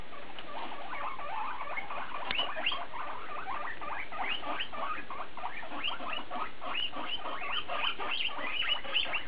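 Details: Pet guinea pigs vocalizing to each other, mostly one animal: a long run of fast, evenly pulsed chattering notes, dense and continuous, with a few louder squeaky peaks toward the end.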